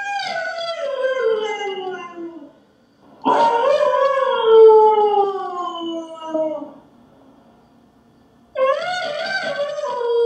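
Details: Husky howling as it waits patiently for its owner's return: three long descending howls separated by short pauses, the middle one the longest at around three and a half seconds, each loud and richly harmonic.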